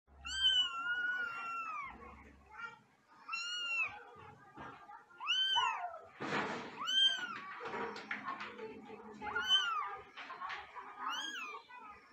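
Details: Angry cat yowling in a string of arched, drawn-out meows about every one to two seconds, with a harsh breathy hiss in the middle and low room noise and a few faint voices underneath.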